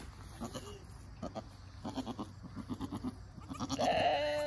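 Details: ['Nigerian Dwarf goats, a mother encouraging her newborn doeling kid as it stands and nurses; soft rhythmic rustling and thumps, then a strong nasal bleat holding steady at the close.']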